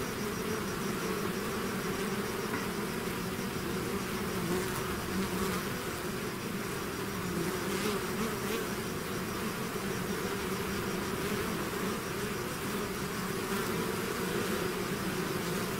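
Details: Dense buzzing of a bee swarm out of its hive runs unbroken, a thick low hum with several steady drone bands and occasional brighter whirs as individual bees pass close.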